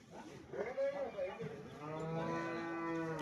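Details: Murrah buffalo cow with calf, offered for sale, calved 40 days ago, six teeth, one horn Mini type and one Murrah type; soft shuffling noises, then a long, steady, low moo held for over a second.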